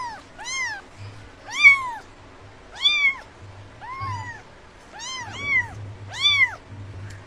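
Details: A kitten stalking and chasing butterflies on grass gives a run of high, thin meows, each rising and falling, about one per second.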